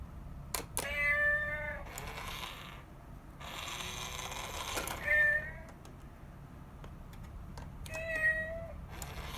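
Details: Mother cat and kitten, rescued house cats, at home; three drawn-out meows, the first and last flat and nasal, with quieter rustling and faint clicks between them against steady indoor hum.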